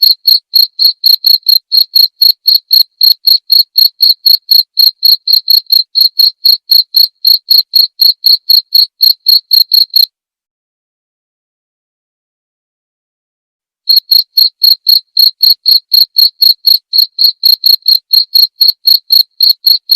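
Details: Cricket sound used as song material for murai batu birds, played at night: rapid, high, evenly spaced chirps about four per second, breaking off for several seconds midway before resuming in the same steady rhythm.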